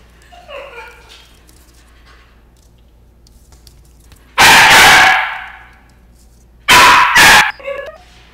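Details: A Chihuahua and Shih Tzu cross dog gives two loud, harsh broadband barks a couple of seconds apart, the second doubled, with faint squeaky whines before and after in an otherwise quiet room.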